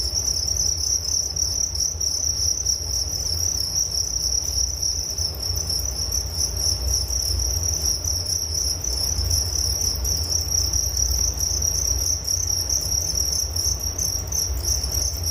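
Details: Crickets keep up a long, even, high-pitched trill, offered as a soothing sound for falling asleep, with a faint higher band of chirps and constant low rumble throughout.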